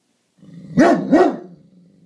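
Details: Great Dane guarding the house, barking at a garbage can indoors: two deep, loud barks with arching tones, a low rumbling growl before and after.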